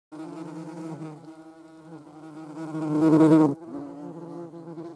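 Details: European hornet, filmed alongside a median wasp: a steady, low droning wingbeat hum with rich stacked overtones, swelling louder and harsher around the third second before dropping back to a softer, even buzz.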